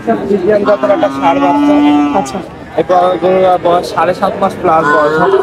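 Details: Young bull calves at the Oronkola cattle market after Eid: a drawn-out, level, harmonic moo of about a second, then overlapping human voices and busy market chatter.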